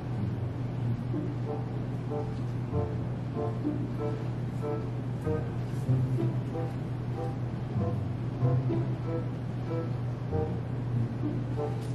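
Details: Quiet background music with a low droning tone and faint voices, with no animal calls.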